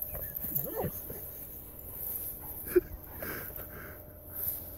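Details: Two playing bloodhounds, an older brother and his younger sister, give short, wavering whines and throaty grumbles that rise and fall in quick bursts.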